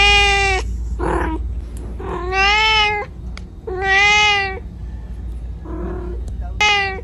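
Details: Cat crying out for its mother: a series of loud, drawn meows alternating with shorter, fainter mews, about six calls within a few seconds, over a low background hum.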